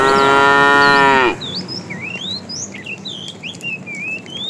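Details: In a tame herd being driven in the afternoon, a fat cow calls the female with one strong, rich moo just over a second long that ends abruptly. Bright bird chirps and twitters continue after it.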